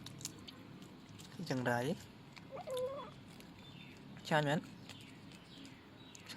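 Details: Young male kitten meowing twice, each meow a short arched wail that rises and falls, a couple of seconds apart, with quiet background talk and a faint flat tone between the calls.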